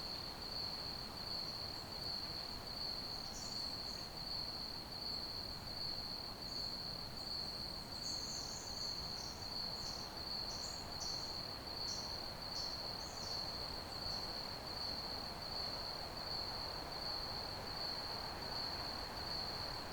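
A cricket gives a steady, unbroken high-pitched trill over a soft background hiss.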